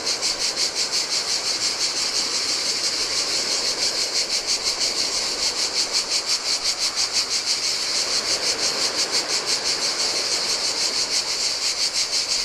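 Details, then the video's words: Cicadas singing in the heat by a desolate beach on a Greek island on the Adriatic sea: a dense, high, hissing buzz pulsing about three times a second without pause, over the soft wash of waves breaking on sand. "Cicadas by the Sea - Ocean Waves & Cicada Sounds"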